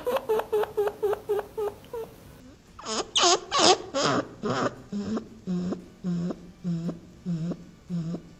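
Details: Chinchilla (Chinchilla lanigera), call.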